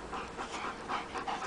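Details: Rapid, breathy dog panting while the dogs chase a rabbit, with even pulses of exhaled air repeating several times a second and no other clear sounds.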